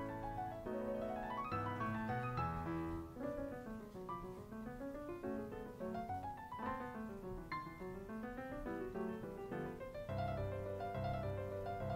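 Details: Gentle piano music plays throughout, with no animal voices.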